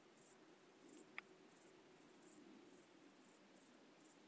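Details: Crickets calling at night in the UK: short high chirps in bursts about every two-thirds of a second, with a single sharp click near the start and a low steady background hum.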